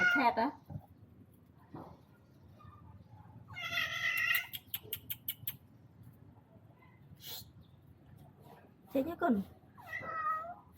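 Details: Indoors, a person talks and calls to a visiting male cat that wants a mate; one harsh, strained meow sounds in the middle, followed by a run of quick clicks and more speech.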